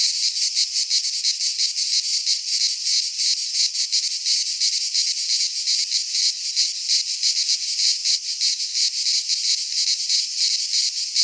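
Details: Greek pine forest in midsummer filled with singing cicadas: an unbroken shrill buzz with quick rhythmic throbbing, loud and even over the whole stretch, nothing else audible.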